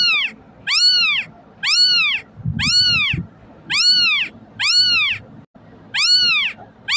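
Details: Kitten crying, used as playback to call cats over: seven high, arched, harmonic-rich meows, each rising then falling, repeated about once a second with short silences between, a faint low thump in the middle.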